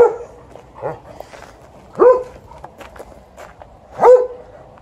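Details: Golden Retriever barking: three short, sharp barks spaced about a second apart, each with a bright harmonic stack, plus softer whines or vocal sounds between them.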